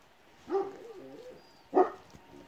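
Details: Kangal puppy, two short whining yelps about a second apart, the first trailing into a wavering squeak, over quiet background with a faint high whistle.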